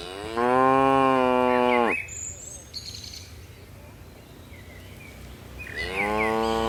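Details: A tame cattle herd bounding down a mountain slope; one long, steady moo of about one and a half seconds, a quiet pause with a bird chirp, then a second moo beginning at the end.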